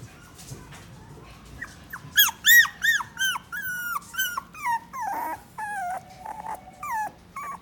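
A Toy Poodle gives a run of high, arching whines and short yelps, one after another.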